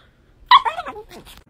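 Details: A pug answering a person's request with a brief wavering whine that starts high and slides downward over about one second, followed by a faint second yelp.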